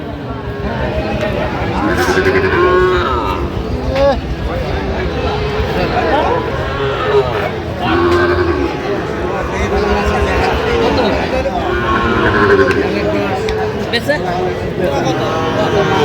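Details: Market scene on 8 November 2025 with Sahiwal bull calves for sale to a Dhaka farmer: repeated low, bending moos from several cattle recur every few seconds, overlapping loud talk, haggling over prices and background traffic noise.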